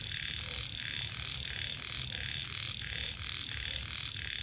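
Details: Evening chorus of small rice-field frogs (khiat) at the edge of rice paddies. Grating croaks pulse about two to three times a second, backed by a faint rhythmic high chirping like crickets and a steady thin hum.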